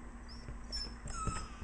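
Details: Two Italian Greyhounds whine softly at feeding time, with thin, high, slightly falling notes in short bursts, begging for a treat, over a quiet indoor background.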